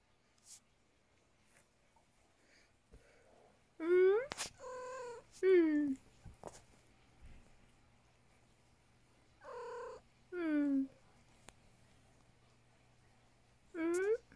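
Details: Domestic cat meowing insistently, five loud, drawn-out meows in clusters, several sliding downward in pitch, with quiet pauses between and a person speaking softly nearby.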